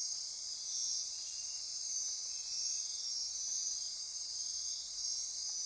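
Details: Dense night chorus of insects in Costa Rican rainforest by Corcovado National Park, Osa Peninsula: constant high buzzing and trilling that swells and fades gently.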